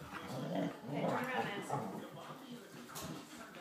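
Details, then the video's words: Two Springer Spaniel pups named Sam and Lilly scrapping and wearing each other out; throaty play growls and whines repeating in uneven bursts, with voices talking in the background. "Springer spaniel pups scrapping"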